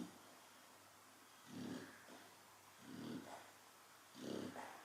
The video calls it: The cara's chow chow qui ronfle